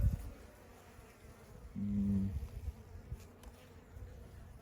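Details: A honey bee buzzes during inspection of a nucleus colony that has overwintered, while a frame with no brood is readied for laying. A short, steady low hum rises for under a second over quiet handling sounds.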